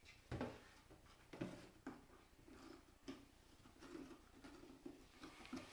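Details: Cairn Terrier whimpering: short, low, moaning whines come in a loose, uneven series, broken by sharp knocks and clatter nearby.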